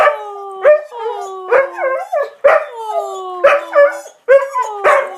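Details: Pet dog in a temper tantrum after pushing his bone under the sectional sofa, indoors; wavering, sliding howl-whines repeat about once a second, each rising then falling, with short gaps between bursts.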